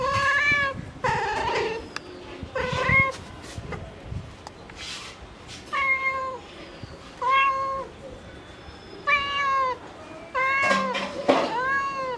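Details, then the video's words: Domestic cat mother calling her kittens with a steady series of short, clear meows, about eight within twelve seconds, each bending down then up in pitch, with soft background noise between calls. "Mother cat calling for her kitten | Mom cat sound effect"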